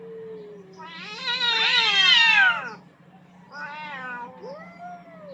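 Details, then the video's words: On a rooftop, two aggressive cats fight for dominance; a low moan swells into a loud, quavering screech lasting about two seconds, then softer bent yowls follow, with a low background hum. "Cats Fighting for dominance at the roof top"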